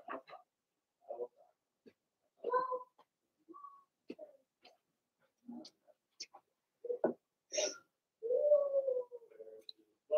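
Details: Blenheim Cavalier King Charles Spaniel puppies from a litter of six, two females and four males, in an indoor puppy pen at home: short high whimpers, then a longer wavering whine that falls away near the end, amid scattered clicks and rustling.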